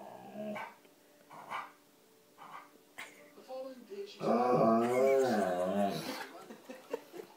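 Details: Alaskan Malamute vocalizing at the TV: soft short grumbles at first, then a loud sustained moaning woo lasting about two seconds that bends downward, followed by quieter trailing sounds.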